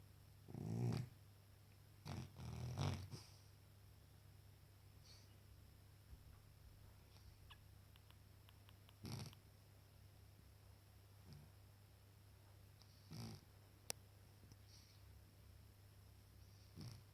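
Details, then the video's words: Sleeping cat snoring indoors: low, soft rumbling snores in irregular bursts, two close together near the start and more spaced out later, with a faint steady hum underneath. "Snoring cat"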